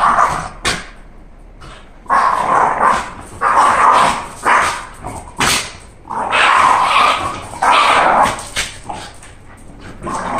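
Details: Candy the Shiba Inu, excited that walk time has come, gives repeated strained, screaming whines in irregular bouts, mixed with sharp clicks and tapping.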